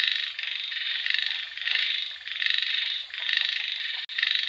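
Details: Frogs calling in rain: a dense chorus of rapid, pulsed, rasping croaks in surging bursts about a second long, with brief dips between waves and no other clear sounds.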